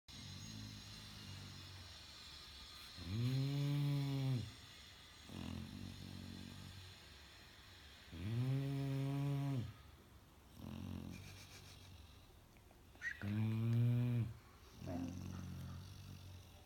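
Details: Bella, a sleeping Labrador Retriever puppy, snoring loudly indoors: three long, rough, buzzy snores roughly every five seconds, each followed by a softer wheezing breath, in a small quiet room.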